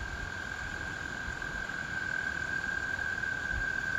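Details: American toads chorusing in spring: a long, steady, even trill held at one pitch throughout, with faint low rumbling background noise.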